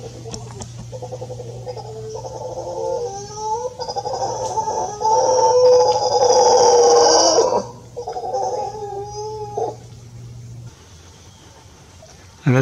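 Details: An adult male mantled howler monkey (Alouatta palliata palliata) with anomalous pigmentation, copulating with one or more females in secondary forest fragment, Tamarindo, Guanacaste, Costa Rica, 14 Nov 2021, gives rough rhythmic grunts swelling then fading over a steady low hum.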